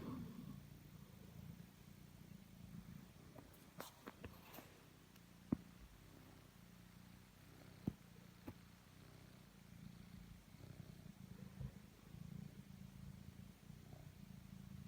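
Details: Totto, a pet cat, purring while kneading: a steady low rumbling drone that swells and eases with each breath, about one cycle every two seconds. A few sharp clicks and taps break in near the start.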